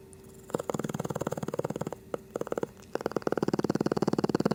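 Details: Sleeping Shih Tzu snoring indoors: a fast rattling, pulsed breath sound with dense regular flutter, broken by short pauses near the second and third seconds, then resuming steadily.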